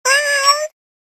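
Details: Cat meowing: a single clean, clear meow lasting about two-thirds of a second, steady in pitch with a slight rise at the end, with rich harmonics and silence after.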